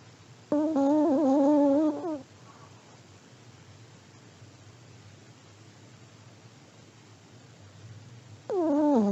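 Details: Snoring from a sleeping elderly Pomeranian: a wavering, nasal, whistled tone of about one and a half seconds, then a long quiet breath, then another tone starting at the end.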